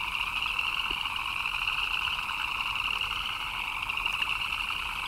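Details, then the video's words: Chirping frogs in the rain make a steady, rapid trilling wall of sound in two pitch bands, with a few single louder chirps standing out and light rain noise behind. "Frogs chirping in the Rain"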